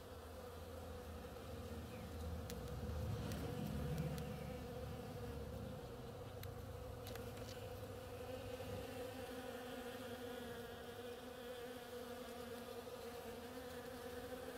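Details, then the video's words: Bees working the flowers of an oriental creeper keep up a steady drone. A deep rumble like a passing vehicle swells between about two and four seconds, then fades. The buzzing continues evenly after it. "Bees hard at work on my oriental creeper"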